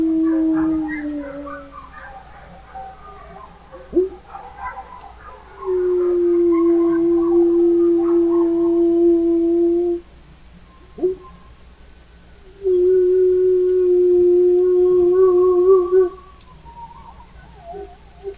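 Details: Domestic dogs on a homestead give long, steady, mid-pitched howls in reply to coyotes, guarding the chickens.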